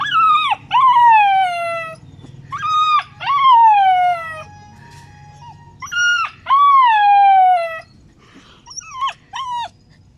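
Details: A 2-month-old Alaskan Malamute puppy gives high, wavering howls that slide downward, with short pauses between them.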